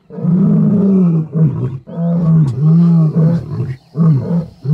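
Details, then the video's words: Lions of the Kambula pride with the Ndhzenga males in MalaMala Game Reserve, wild, during mating. A run of heavy, low, throaty roar pulses, each about a second long, following closely one after another. "Mating and roaring LIONS."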